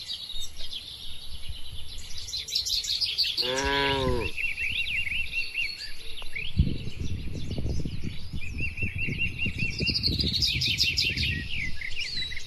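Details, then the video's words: Cattle grazing under herding in a broad oil palm plantation let out one short, wavering low moo midway, with continuous bird chirps above and rustling, thudding noises close by afterwards. "Bunyi Sapi Lucu & Menenangkan"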